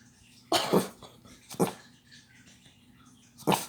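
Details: Pet dog indoors barking after hearing a knock on the door: three short, sharp barks spaced about a second or two apart, with quiet room sound between.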